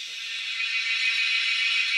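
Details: Cicadas in the wild, found while hunting them, make a loud, steady, high-pitched electric drone that holds unbroken and swells slightly over two seconds, with no other clear sounds.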